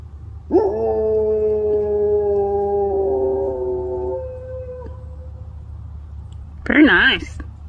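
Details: A Doberman lets out a long, even howl held for about four seconds with a slight step down partway, trailing off; a short wavering yip-like cry follows near the end over a low background hum.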